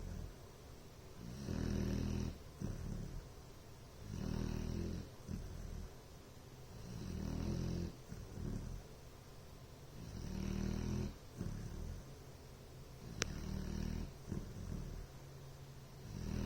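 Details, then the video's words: Bloodhound snoring indoors, a long run of deep, rattling snores recurring about every two to three seconds, low and buzzy with breathy edges, one brief sharp click partway through. "Bloodhound "Ellie Mae" Snoring..."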